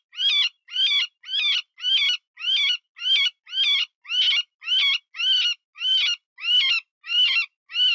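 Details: Cottontail distress sound for hunting predators, imitating a wounded rabbit: fourteen harsh, quavering squeals repeated regularly about twice a second, each with a bent, wavering pitch, with no other sounds.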